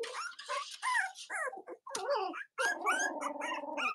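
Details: Litter of Cavalier King Charles Spaniel puppies, Robin's and Myra's, indoors on an autumn morning in the US: near-continuous high squealing and wavering whines with pitch swoops, barely pausing over four seconds.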